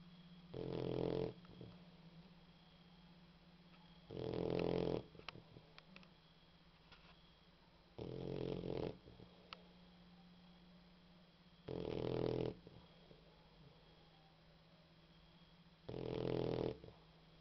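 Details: Sleeping female boxer dog snoring gently: five low, rasping snore bursts, each close to a second long, coming at a fairly even rhythm about every three to four seconds, with a faint steady hum and occasional small clicks in the quiet gaps.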